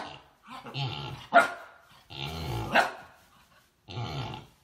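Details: Miniature Siberian Husky in a play session: three drawn-out, grumbling vocalisations, each rising to a brief bark-like peak in the middle, separated by short silences.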